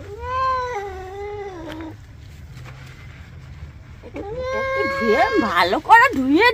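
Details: A pet cat during a bath lets out a long, level meow that falls away. A pause follows, then a series of wavering, rising-and-falling distressed meows. A human voice is close by.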